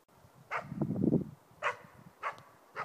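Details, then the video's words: Young East Siberian Laika, four months old, bark-baying at a moose while hunting: four abrupt barks at uneven intervals, with a heavy low rumbling burst close by between the first two. "ståndskall på älg! Östsibirisk laika"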